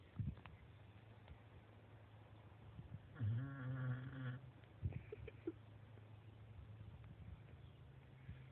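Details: Snoring from a sleeping dog: a strong, low, droning rattle of about a second, rich in buzzing overtones, followed by a short snort and a quiet, steady low hum.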